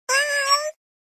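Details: Domestic cat giving a single clear meow lasting under a second, a steady tonal cry with a slight rise and bend near the end, then silence.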